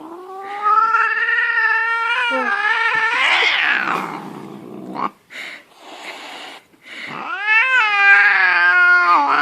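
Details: Angry domestic cat caterwauling: a long, loud, wavering yowl with rich harmonics, broken by a harsh hissing burst, brief pauses, then another rising, drawn-out howl.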